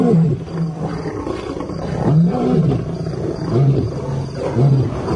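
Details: Territorial lion roaring, two new arrivals insulting resident male Simba on his ground; deep, throaty low-pitched grunts repeat roughly once a second in a loud, rolling sequence with faint background hiss.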